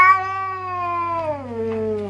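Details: Domestic cat talking with a single long, steady, harmonic meow that slowly falls in pitch toward its end, over a low constant hum.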